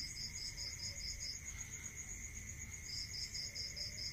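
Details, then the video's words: Crickets calling at night in a rural area, a steady high ringing tone overlaid by bursts of rapid pulsed chirps that pause mid-clip and resume, with low rumbling background noise. "Listening to Cricket Sound"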